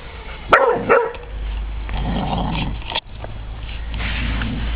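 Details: A 9-week-old Irish Soft Coated Wheaten Terrier puppy, terrified, meets a 28-month-old Broken Tricolour Beagle; a couple of short sharp barks or yips near the start, then low growly rumbling and scuffling with steady background hum.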